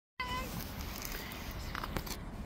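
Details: White stray cat living on the street, slapping away other cats that approach her; one short, clear, tonal meow right at the start, then only low outdoor street rumble and faint background noise.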